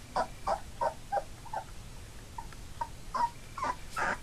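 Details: Three-week-old Labrador Retriever puppies, eyes newly open and starting to walk, squeak in short high whimpers, about a dozen brief nasal cries repeated roughly every third of a second over a low background hum.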